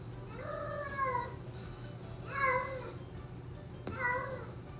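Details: Domestic cat giving three drawn-out meows, each sliding downward in pitch, spaced about a second and a half apart, over a low steady hum and faint background music.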